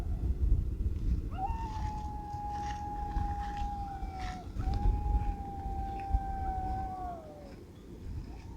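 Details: A pack of coyotes howls in the distance on an August evening walk in the Death Valley desert near a derelict resort they frequent; two long, steady, drawn-out tones, the second tapering downward, over low wind rumble.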